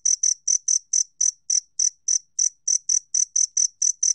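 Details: Two-spotted cricket from Korea's National Institute of Biological Resources, 2020: a close, loud series of shrill chirps, some paired, about four each second, each with a faint lower undertone, in otherwise silent surroundings.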